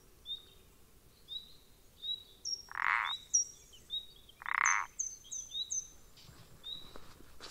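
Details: Recorded 14 April 2020, a common parsley frog (Pelodytes punctatus) gives two harsh, creaky croaks about two seconds apart, surrounded by brief, high, sliding whistled notes in quick series.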